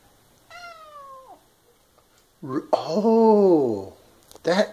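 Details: Pet cat at a sink, wanting to drink only from one particular faucet and chatty; a drawn-out falling meow, then a louder, longer arching meow and a short final call.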